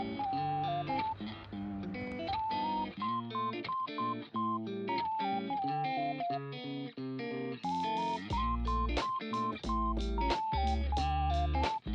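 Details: Plucked electric guitar melody with a rhythmic repeated figure and a deeper bass entering near the end, music only with no animal voices.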